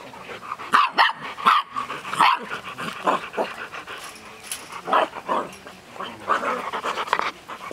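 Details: Six-week-old Golden Retriever puppies, a litter kept in a cage, yip and whine in short irregular bursts. Sharp high cries are mixed with softer scuffling and panting-like noise throughout.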